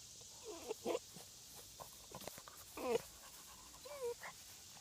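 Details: Basset Hound puppies at a farm give thin, squeaky whimpering cries, three short wavering whines spaced about a second apart, over a low steady background hiss.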